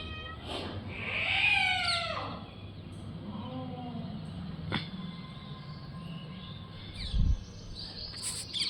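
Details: Cats fighting: a loud drawn-out yowl rising then falling over the first two seconds, followed by quieter low growls, a short sharp hiss and a few faint cries against background hum.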